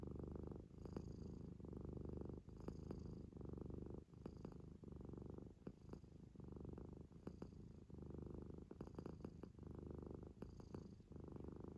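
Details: Munchkin kitten asleep, snoring steadily in a low buzzing rumble that swells and dips in breathing cycles about every one to two seconds, punctuated by brief nasal snorts; no other sounds intrude.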